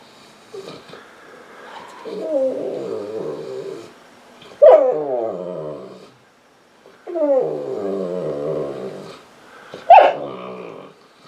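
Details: Female Saint Bernard Misha, lying on the couch, whimpers and cries for attention and petting; long low moaning whines rising and falling, punctuated by two sharper, higher yelping cries about five seconds apart, in a quiet indoor room.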